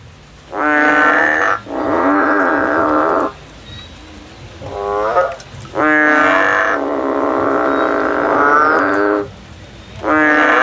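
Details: A frog climbing a tree while looking for a way out gives long, nasal, droning calls, each lasting one to two seconds and rich in harmonics. Several calls run back to back with short gaps, and a softer call comes in between.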